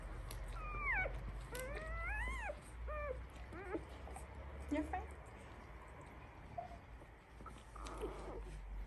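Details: One-week-old Labrador Retriever puppies make a few thin, squeaky whines that rise and fall in quick arcs early on, then fade, while a person speaks quietly and a low hum runs underneath.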